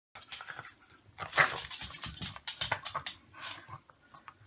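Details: Pet dog eager for treats, teeth chattering indoors: a rapid, uneven run of sharp clicking and smacking bursts over about four seconds, loudest near the middle.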